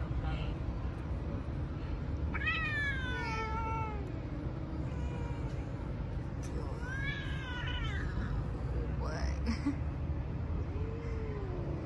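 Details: A street-living stray cat, petted outside, lets out three separate meows spaced a few seconds apart, each sliding downward from a higher start, over a constant low hum of city traffic.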